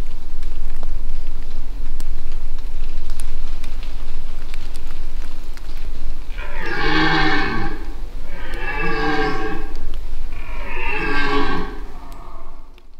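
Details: In the Aigoual massif in 2024, a very noisy dominant red deer stag gives three deep, hoarse rutting roars after low rumbling background. He suspects an observer nearby but has no scent confirmation, and he keeps wandering.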